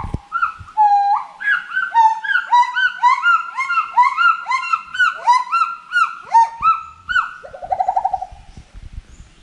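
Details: Several forest monkeys calling together: a long level hoot, then a crowded run of arched, harmonic cries stacked over one another, ending with a rapid pulsed, trilling call.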